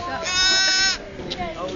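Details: New-born lamb, one of twins, struggling to get onto its feet soon after birth; a single bright, harmonic bleat of under a second, with people talking close by before and after.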